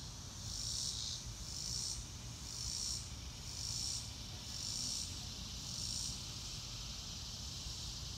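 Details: Real-time cricket sounds with no music, a high, sharp chirping pulse repeated quickly, under a second apart, with brief bright tones in each pulse and a steady low background hum.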